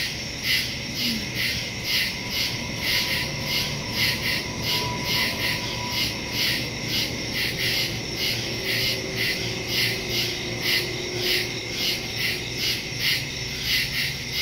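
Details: Crickets chirping at night in woodland, September 2, 2023, phone recording with stereo microphone; a continuous high-pitched pulsing chorus, rhythmic beats close together, over faint distant low sounds.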